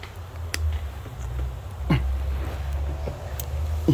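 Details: Low indoor rumble with a few soft clicks and taps, no animal voice heard. Only faint handling noises break the steady hum.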